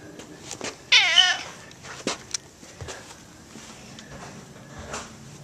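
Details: Pet cat named Gato, roaming its home yard and house, gives one loud harmonic meow about a second in, bending up and down in pitch. Scattered clicks and soft footsteps follow in a quiet room.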